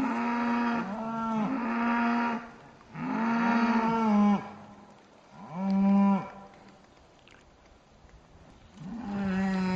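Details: Cattle near Aberfeldy, Scotland, called happy and wild, giving long, deep moos with strong harmonics, three main bellows separated by quiet pauses, another starting at the end.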